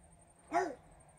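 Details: A French Bulldog named Regis gives a single short bark indoors, said to be barking at fairies; one brief arched bark with a faint steady electronic whine above.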